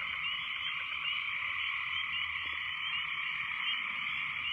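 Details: Very loud frogs calling after heavy rains, a dense, unbroken chorus of high trilling and croaking voices that merge into a steady wall of sound throughout.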